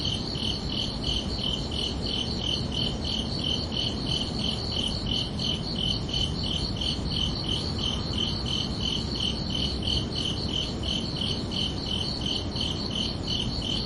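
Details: Summer-evening crickets chirping under the night sky, a dense, regular series of shrill pulses that never pauses, set against a gentle low hiss.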